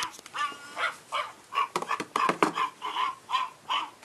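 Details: Australian Shepherd puppies giving a run of short, high, nasal yelps and whines, each with stacked harmonics, repeated about two to three times a second in an uneven rhythm.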